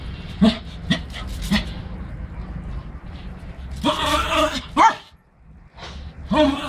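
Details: Pomeranian dog at play gives short, sharp yips in a quick series of three, then a longer, harsher whining bark, a rising yelp and a final bark. A steady low hum runs underneath.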